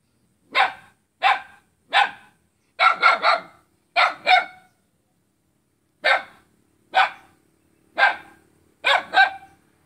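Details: A dog in Selat, Kapuas, Central Kalimantan, Indonesia, barks at its own neighbour on 5 August 2017: thirteen loud, rough barks, some in rapid triplets, with a quiet gap midway before the barking resumes.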